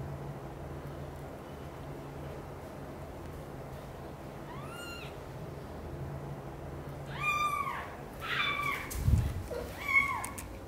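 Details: Domestic kittens in a nest, mother cat Xaxa responding to their loud meowing; several high, arching meows with rich harmonics, first one alone, then a quick burst of three or four near the end over a steady low hum.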